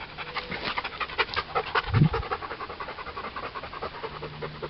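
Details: Bernese Mountain Dog panting heavily in hot weather, quick rhythmic breathy pulses throughout, a brief low voiced sound near the middle, steady low hum in the background.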